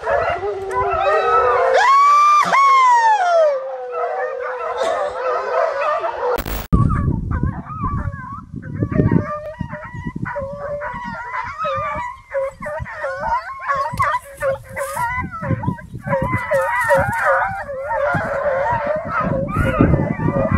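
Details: Opening with one long rising-and-falling howl, American Foxhounds chasing a deer then break into rapid choppy bays from several dogs at once, over rustling and rumbling movement noise.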